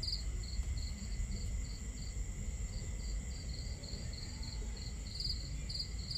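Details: Crickets at night in a starry-sky camping scene with fire crackle and water: evenly spaced high chirps repeating about twice a second, another cricket growing louder toward the close, over a soft, continuous low rumble.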